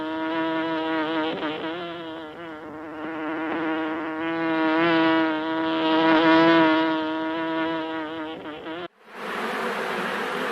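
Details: Honey bees buzzing as a honeycomb is harvested in a village: a steady droning hum with a rich stack of overtones, pitch wavering slightly and swelling in loudness, then cutting abruptly to a broad hiss near the end.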